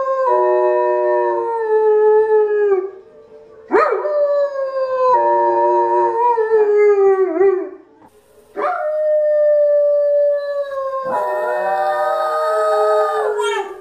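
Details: Several dogs answer the Zootopia howl. Overlapping sustained howls each begin with a sharp rise and then hold level or slide gently downward. Brief pauses separate three long phrases, and a denser chorus closes the sequence.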